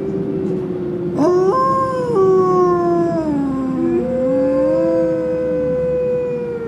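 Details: Captive wolves at the Como Park Zoo in Saint Paul, Minnesota, howl together one afternoon. Several voices overlap, rising and falling in long, smooth, stepped tones, each one sustained for seconds.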